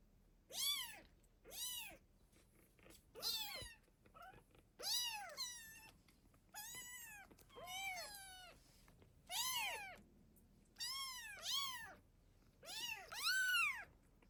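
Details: Mother cat guarding and feeding her kittens meows repeatedly indoors: high arched mews, about ten in fourteen seconds, some doubled, over a soft background hum.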